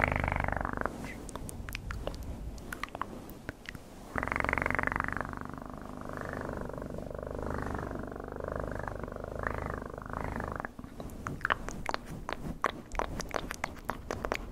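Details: Cat purring close to the microphone: a steady, low, rumbling drone that swells and fades, broken by soft crackles and rustling clicks near the end.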